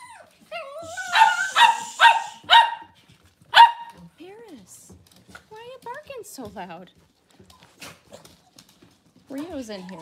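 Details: Kitchen scene with Cavalier King Charles Spaniel moms and puppies. Four or five loud barks come close together early on, then quieter human talk and soft whines fill the rest.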